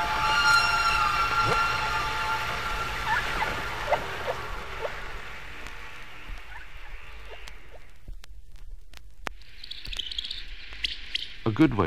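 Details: Hydrophone recording of humpback whale song off Bermuda in spring, with echoes from submarine canyons: drawn-out whistled tones and short gliding notes that fade after eight seconds, followed by sparse clicks and a brief higher hiss.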